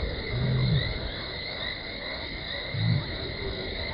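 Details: Lioness named Talamati contact calling near Gowrie dam waterhole, Djuma Game Reserve, Sabi Sand Wildtuin, South Africa, on 17 December 2020, shortly before running in; two short, deep moans about two seconds apart over a steady high insect chorus.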